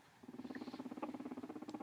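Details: A pet guinea pig, one of two social brothers, purring while being petted, which means he likes it; a low, steady, rapidly pulsing rumble of about a dozen throbs per second lasting over one and a half seconds.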